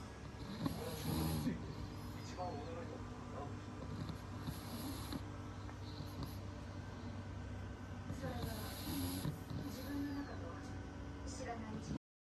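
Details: Pug Momotaro, a short-nosed dog, breathing with a snore-like sound even while awake; rough, low snuffling breaths repeat through the clip, with bursts of hissy air noise around one, five and nine seconds.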